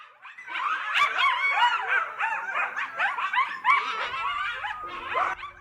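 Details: Coyotes calling in the middle of the night in Los Angeles: a dense overlapping chorus of rapid high yips, wavering howls and barks, rising and falling continuously.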